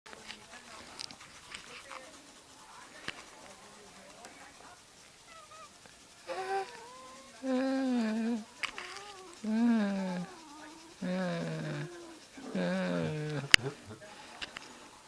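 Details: Pet cat suddenly turning angry indoors: after a quiet stretch with faint soft sounds, a series of loud, drawn-out, wavering yowls, each about a second long, rising and falling in pitch, repeated four or five times.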